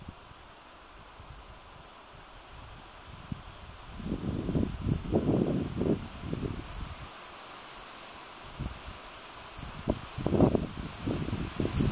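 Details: Only low gusts of wind and rustling leaves in two bursts, with no bird or other animal voice.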